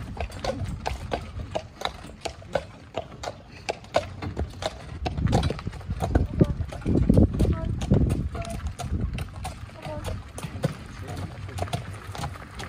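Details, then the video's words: Dyfed Shire horse pulling a ride-on cart: hoof clops roughly four per second, uneven but steady, over a low rumble of cart wheels, with people talking throughout. "Dyfed Shire Horse - Ride on Cart"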